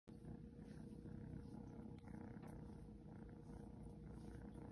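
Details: A Seal Point Ragdoll kitten purrs in a steady, soft, low rumble that runs without a break while being patted affectionately.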